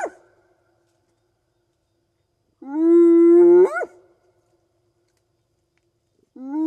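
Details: Single full whoop of a spotted hyena at night in the African bush, a call that carries long distances to reach clan members; a level moan about a second long that swings sharply upward, with fragments of other whoops at the edges.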